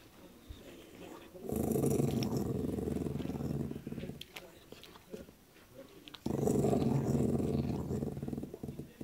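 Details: Dog grumbling at anyone approaching while it enjoys a meaty bone, indoors: two long, low rumbling growls of about two and a half seconds each, separated by a quieter pause.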